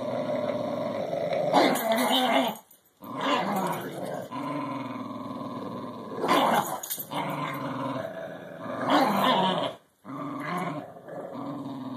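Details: Two dogs, English Bulldog Maximus and Cairn Terrier Barnabus, tugging on a rubber ball stuffed with smaller balls; continuous throaty growling in long stretches, punctuated by harsh bursts of snarl every few seconds and short silent gaps.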